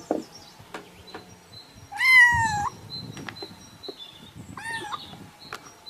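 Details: Cat sound meant to tease cats. Two meows stand out against a steady tonal hum and scattered clicks: one loud, upward-bending meow near the middle and a shorter, softer one later.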